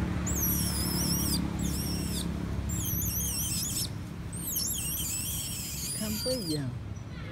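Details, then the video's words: Unwell baby female monkey pleading for her mother's milk: repeated high, quavering wails, each one warbling and slurring downward, given in bursts roughly every second, with a lower descending whine near the end over constant low background rumble. "Poor baby monkey crying implore mother comes taking care and nursing her"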